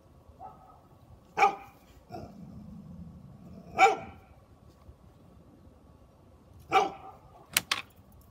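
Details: Three Great Pyrenees puppies give single sharp barks, spaced a few seconds apart.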